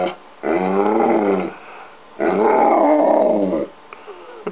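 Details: Pet dog trained to say "hello" gives two long, even, moaning howls with stacked harmonics, each near a second and a half, then a faint click and a brief squeak in a small room.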